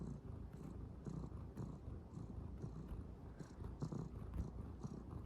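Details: Young calico cat kneading without pause, its continuous deep purr throbbing steadily underneath brief scratching taps from paws on cloth.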